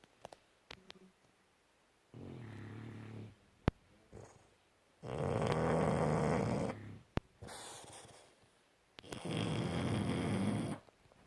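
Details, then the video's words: Sleeping pets Bus and Kat, dogs snoring in the home, give three drawn-out rasping breaths a few seconds apart, each a steady buzzing rumble, separated by quiet gaps with faint clicks. "Bus And Kat Snoring"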